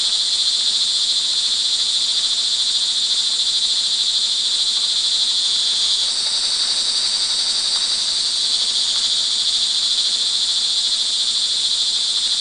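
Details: An evening rain chorus of crickets, recorded June 24, 2011 in Montalban, Rizal, Philippines: a constant shrill trilling whose tone shifts slightly about halfway through, with a few faint clicks beneath.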